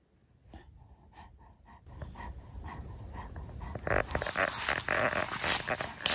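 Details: Young female Great Pyrenees, born 2022, tired and happy after playing tag with her owner; rhythmic breathy panting at about three breaths a second, followed by loud rustling and handling noise.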